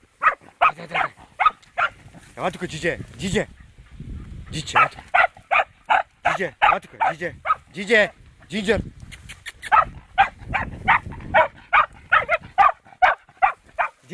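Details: A fox terrier barks in rapid, sharp bursts, over two barks per second, during its first encounter with a wild boar, with people talking.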